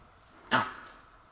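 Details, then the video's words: Langur alarm call at Kanha National Park in March 2024, made on sighting a tiger and warning other animals: a single abrupt, harsh coughing bark, loud and brief, fading quickly into quiet surroundings. "Langur calling after seeing tiger"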